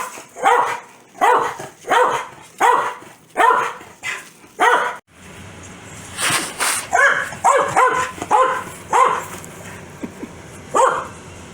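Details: Foxy the Corgi barks angrily at a sneeze: six evenly spaced barks, then a quicker, messier run of yips and barks over a noisy background.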